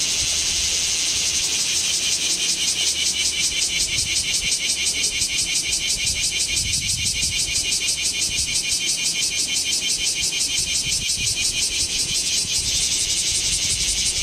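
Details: Kamo town, 2 August 2026, in scorching summer heat: bear cicadas fill the air with a loud, shrill, steadily pulsing drone, beats coming roughly three per second throughout, over a soft low rumble recorded on a Z50II camera.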